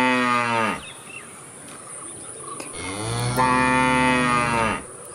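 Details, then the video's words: Cows mooing: a long harmonic-rich moo fading out early, then a second drawn-out lowing call rising slightly and holding steady for about two seconds, with a faint high steady hiss behind. "Sound of Cows"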